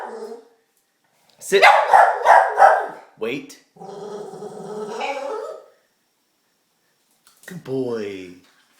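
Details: Diesel, a pet dog anxious and excited about getting a treat, gives a quick series of four rough barking pulses, then a hoarse sustained whine. A short human voice follows, recorded in a small room.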